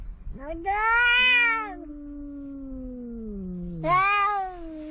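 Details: Two cats, one a big orange cat, quarrelling at the seaside. Drawn-out, richly harmonic yowls rise and fall while a lower moaning wail slides slowly downward beneath them. A second loud yowl breaks in near the end.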